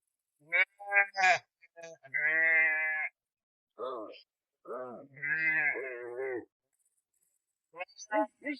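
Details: A flock of sheep left without their shepherd bleats loudly, with long wavering calls and shorter bleats mixed in, as lambs are separated and mothers call, while a man talks nearby.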